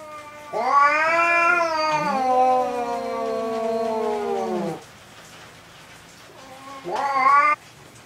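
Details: Third fight between two domestic cats, a spotted one and a black-and-white one, still unresolved after people stepped in; loud drawn-out yowling howls, two voices overlapping and falling in pitch for about four seconds, a quiet gap, then a short rising wail.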